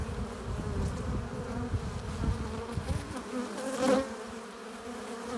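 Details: Honey bees at a hive entrance, flying in with pollen and nectar: a steady low droning buzz with a brief louder whine of a bee passing close near the four-second mark.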